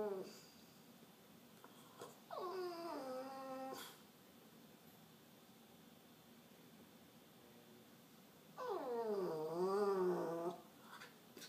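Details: Piggy, a cranky French bulldog, 'talks' indoors with two drawn-out whining grumbles. The first slides down in pitch. The second is longer and wavers up and down. Quiet breathing fills the gap between them.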